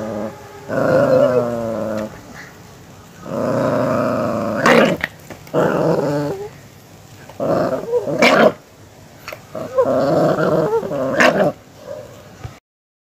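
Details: Aggressive pet Miniature Pinscher growling in four rough, harmonic-rich bursts of one to two seconds each, separated by short pauses. Sharp snapping clicks break through between the rumbling stretches.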